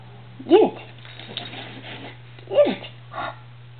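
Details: A Norwich Terrier playing indoors with a cat toy gives two short whining yelps, each a quick falling squeal about two seconds apart, over a steady low electrical hum and faint rustling.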